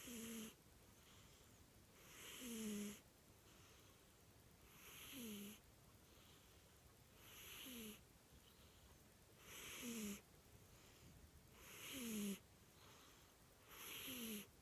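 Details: Snoring cat: steady rhythm of hissing breaths about every two and a half seconds, each swelling louder and ending in a short, falling, whistled wheeze.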